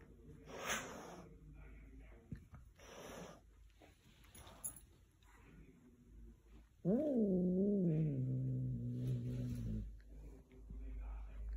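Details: Little black cat, scared and puffed up, gives one drawn-out wavering meow lasting about three seconds, rising then falling, after earlier quiet rustling and faint sounds.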